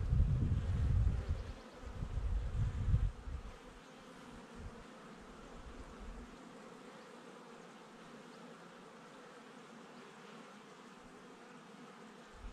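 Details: Bees at their hive on the Domaine Saint-Antonin family estate in Jouques, Provence, southern France, 12 May 2019; low wind thumps for the first three seconds, then a steady, even droning hum with layered tones.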